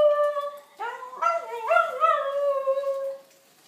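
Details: Three-year-old Schnauzer howling at passing fire truck and police sirens: a steady tone breaks into a wavering, rising and falling howl with several pitch jumps, then settles and fades.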